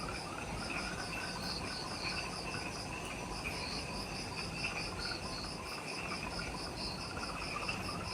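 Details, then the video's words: Insects calling in the jungle of Ishigaki Island, Okinawa, Japan, at twilight just after sunset: a steady high pulsed trill, rapid beats in even runs, over a lower shrill band and a constant broad hiss. "Forest Twilight Sounds – Ishigaki Island | Relaxing Jungle Ambience with Insects"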